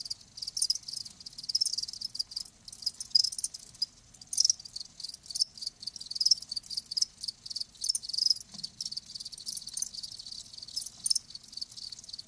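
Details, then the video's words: Crickets, live, give a dense high trilling chorus of chirps, uneven bursts overlapping with almost no pause, a continuous shimmering insect sound. "Live Crickets 60min "Natural Sound""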